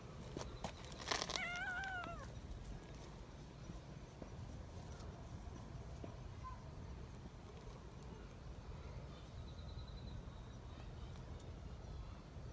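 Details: Young community cats excited at being picked up give a shrill, harmonic-rich screech near the start, a few stacked wavering cries over about a second, followed by quiet rustling and faint outdoor background.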